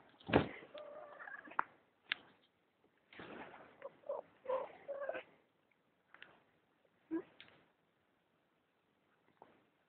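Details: Pet Persian cat fussing at someone's arm: a run of wavering, tonal meows and murmured cries in two clusters, with sharp clicks between them and quiet afterward.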